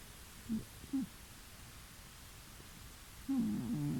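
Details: A pet cat snoring in the next room of a new home about two weeks after moving in, deeply relaxed: two short, low rasping snores, a pause, then a longer rumbling snore, over steady background hiss.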